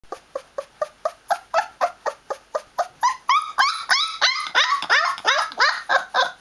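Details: Twenty-day-old Newfoundland puppy protesting noisily indoors: a steady run of short, high yelps about three a second, starting soft and thin, then turning louder, fuller and more wailing with sliding, downward-bending notes in the second half.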